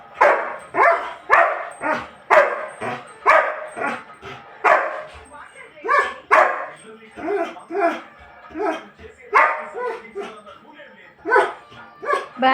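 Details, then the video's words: German Shepherd crying to be taken out after the mother left; a steady run of short, yelping cries and whiny barks about two per second, with a person talking over them. "అమ్మ బయటకు వెళ్లింది వీడిని కూడా పంపాలి అని అరుస్తున్నాడు నా mida"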